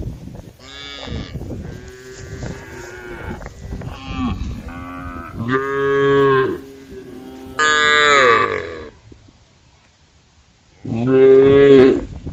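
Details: Cows roaming a forest-edge road, calling the herd: a run of overlapping moos from several animals, a hoarse bellow, then a pause of near silence before a final loud moo.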